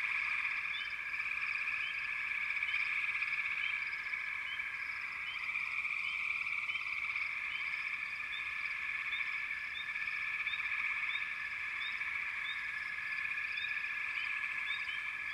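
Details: Many frogs call together in a continuous buzzing trill, while short rising chirps pop out above the drone at an irregular pace, several each second.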